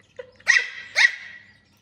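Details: Puppy reacting to a laser pointer alongside a kitten: two short, high yaps about half a second apart, each trailing off into a fading tail, with a faint squeak just before the first.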